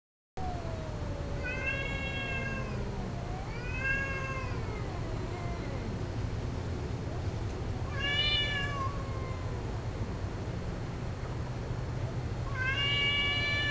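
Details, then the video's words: Domestic cats calling during mating, several animals together: long wavering yowls sliding up and down, overlapping low moaning cries and higher bursts near two, four, eight and thirteen seconds, over steady low hum. "Cat Orgy II"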